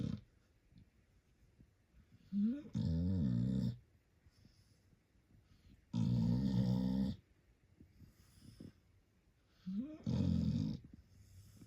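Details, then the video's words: Puppy asleep and snoring: a slight rising wheeze leads into each of three harsh, low, rattling snores about a second long, repeating roughly every four seconds with quiet breathing between. "Puppy SNORING 💤 like a DRUNK PERSON"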